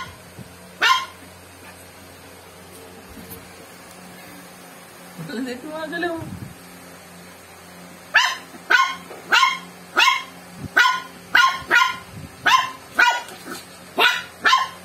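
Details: Joey, a pet dog with swimmer syndrome, objecting to Coke: a single early bark, then a stretch of low murmuring and human sounds, followed by a quick, regular series of sharp barks about twice a second.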